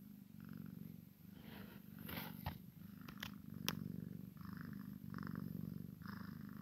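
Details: Maine Coon x Sphynx cat, a kitten playing with its mother, purring in a steady low rumble with soft breathy swells, broken by a few sharp clicks and brief rustles.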